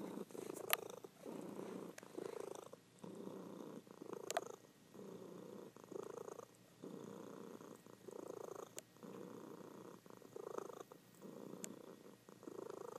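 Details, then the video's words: Female domestic cat purring in her sleep, the low rumble rising and falling in regular breath-paced bursts, a few sharp clicks scattered over the steady drone. "Sleeping Cat Purring"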